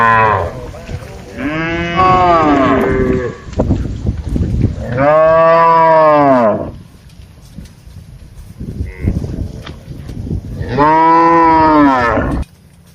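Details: Cattle herded in a large plantation, mooing as they forage and interact with each other; three long, rich bellows, each arching up then falling, separated by quieter gaps with faint rustling.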